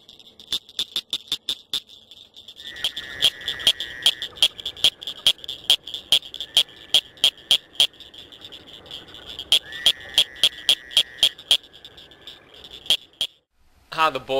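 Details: Northern cricket frog, a small frog with one of the loudest calls in its area, gives a series of sharp, high clicks like pebbles tapped together, over a steady insect trill.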